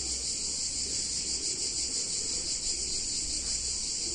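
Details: Cicadas singing on a hot summer day in a picturesque Italian town: a dense, continuous high-pitched buzzing drone, steady and unbroken, over a faint low hum.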